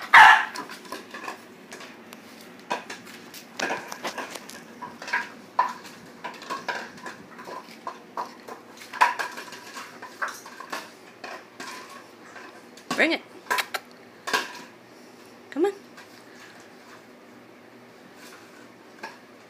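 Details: Boxer puppy barking at a plastic bottle: a loud sharp bark at the very start, then scattered short yaps, with two stronger barks late on, amid frequent plastic crinkling, tapping and clattering of the bottle being pushed around indoors.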